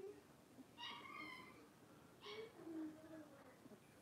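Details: Playing blenheim Cavalier King Charles Spaniel puppies, five littermates in a home puppy pen; two sharp high yips followed by a lower wavering whine, brief and close, with quiet indoor background.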